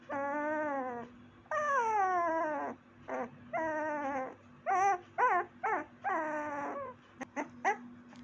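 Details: Young puppy whining in long, drawn, downward-sliding cries of about a second each, alternating with bursts of short sharp yips. A constant low hum continues in the background.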